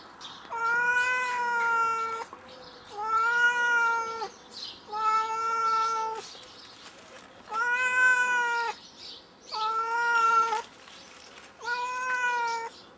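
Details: House cat that climbed a tree and cannot get down, giving six long plaintive meows at regular intervals of about two seconds, each steady and rich in harmonics.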